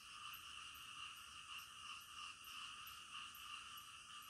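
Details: Night-time frog chorus, soft and continuous, with a faint pulsing croak rhythm over a steady droning hum of many callers.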